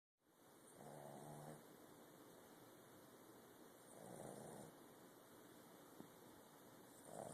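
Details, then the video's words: Sleeping puppy snoring softly indoors: breathy, slightly buzzing inhalations about every three seconds, the first with a low rattling hum, over a steady faint background hiss. "Snoring pup"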